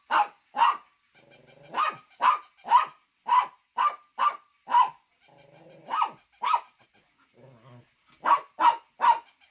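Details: Shih Tzu dog barking loudly in quick, irregular bursts of sharp barks, a short pause with faint low rumbling, then another run of barks.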